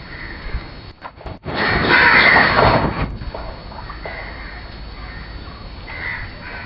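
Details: Thari or Mewati bull calling during courtship, a harsh, jeering, bird-like sound. One loud, broad, rasping burst lasts about one and a half seconds, followed by fainter, shorter calls in an open rural setting.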